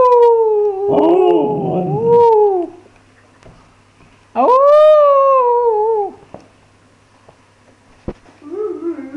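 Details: Siberian Husky howling: a first wavering howl that rises and falls with a rough, breaking voice, then a second clear howl rising sharply and sliding slowly down over two seconds, a sharp knock, and a short whine starting at the end.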